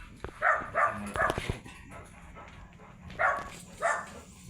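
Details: Labrador Retriever at a stud session in Labit West, Urdaneta City, Pangasinan: three short harmonic barks in quick succession, a pause, then two more barks, over low background noise.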